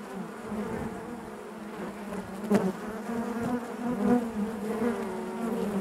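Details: Steady hive hum of honey bees, a low, even buzzing broken by a short louder buzz midway and another swell near the four-second mark.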